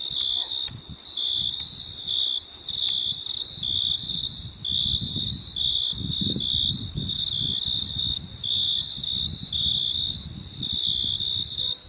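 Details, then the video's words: Nighttime insect chorus in a rainforest park: shrill, piercing tone bursts repeating in an even on-off rhythm about once per second, with a soft low rumble underneath. "insects sounds"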